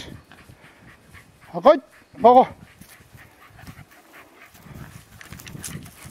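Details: Deer hunt in Izu, October 2012, with two Welsh Terriers, Grandy and Ikaros, pursuing a large deer. Two sharp yelping barks come half a second apart amid rustling and soft background noise.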